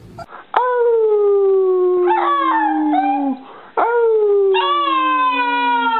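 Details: Puppy howl: long sustained tones sliding slowly downward, one drawn-out howl then a pause and a second long falling howl, clear and loud with rich harmonics.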